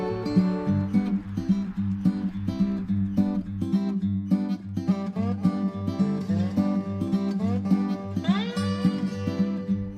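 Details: Strummed acoustic guitar music plays throughout, with steady chords and no animal sounds.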